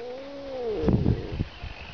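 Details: Domestic cat meowing in a way said to sound like Russian "ne znayu" (I don't know): one drawn-out, falling, tonal meow, followed by rough low scuffling noises.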